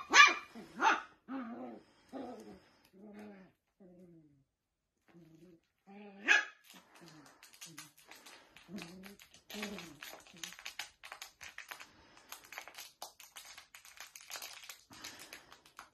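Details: Dachshund, a playful wiener dog: two sharp barks in the first second, a run of lower, fading whine-like yelps, then another loud bark near six seconds, followed by a busy stretch of scratchy clatter and softer vocal sounds.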